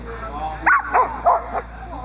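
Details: Boxer Diesel of Ons Hullekke, a working dog in protection training with bite work on a table: three short, sharp barks in quick succession, over a steady background hum.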